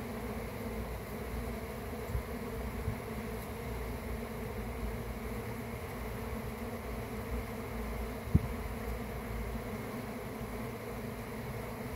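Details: Swarm of honey bees kept by a beekeeper, giving a dense, steady droning hum with layered low tones, unbroken for the whole stretch, with a couple of soft knocks near the start and a sharp tap later.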